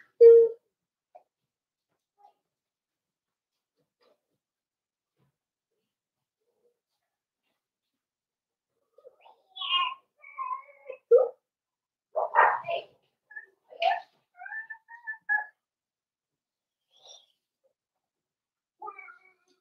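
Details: Four-week-old Cavalier King Charles Spaniel puppies in an indoor puppy pen, on a day of meeting other dogs, trying puppy mash and weekly weighing: after a long quiet stretch, a cluster of short, thin, tonal whimpers, then a few faint squeaks.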